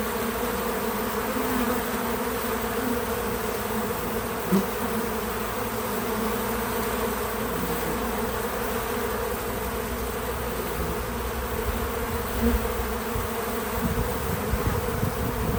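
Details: Many bees at a feeder, recorded untouched in real time: a steady, dense droning hum with a low layered tone, and brief louder buzzes near 4.5 and 12.5 seconds as single bees pass close.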